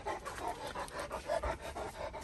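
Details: A stressed, agitated dog, reportedly angry after an anaesthesia visit to the vet, pants fast and hard with quick breathy huffs about four times a second while people urge it to calm down.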